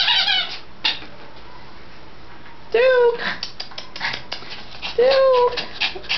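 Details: Pomeranian dog up for adoption, recorded indoors in February 2011 in the morning: two high, squeaky drawn-out whines lasting about half a second each, with clattering and other room noises.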